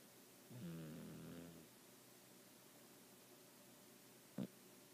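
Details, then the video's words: Pet cat asleep and snoring indoors, propped up on pillows; one low, rough snore lasting about a second with a harmonic buzz, then quiet breathing and a brief soft knock near the end. "My cat Baby snoring"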